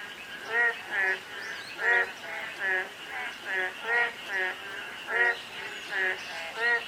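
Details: On a day of fine rain, frogs give rhythmic, reedy croaks in short bursts, alternating between nearer and farther callers, with a constant soft patter of drizzle underneath.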